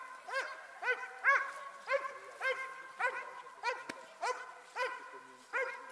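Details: A Dobermann barks during Ring 2 attack work, giving sharp, harmonic barks about every half second, steady and loud throughout.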